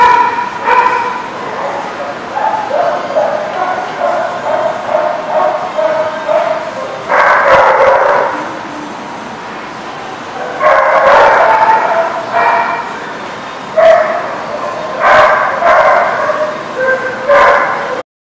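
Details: Barking at a dog lot on June 14, 2019: loud harmonic barks come in irregular bursts, some short and some drawn out, separated by quieter stretches with a constant hiss behind them.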